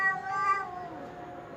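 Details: Domestic cat with a short, descending meow that starts bright and fades into a lower, drawn-out tail within a second and a half.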